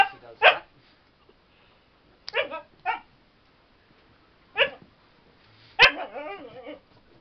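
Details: Female Siberian Husky Spirit at play, bouncing as though performing CPR, gives scattered sharp barks in pairs with pauses, ending in a drawn-out wavering yowl; a person talks nearby.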